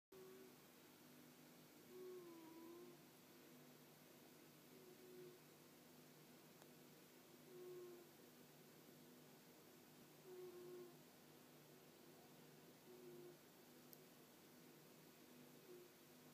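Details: Bobby the cat snoring quietly indoors, soft low tonal breaths repeating roughly every two and a half to three seconds, each a brief gentle purr-like drone, over a faint steady background hum.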